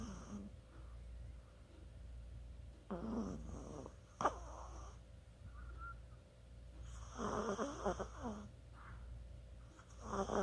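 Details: Chihuahua snoring while sleeping, 24 October 2020; rough, breathy snores at uneven intervals, one sharp click near the middle, low indoor hum throughout.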